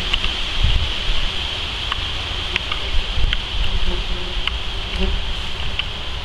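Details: Common wasps (Vespula vulgaris) at a disturbed underground nest: a low, wavering hum of wingbeats rises and fades, with a steady high hiss, gusty wind rumble and sharp clicks throughout.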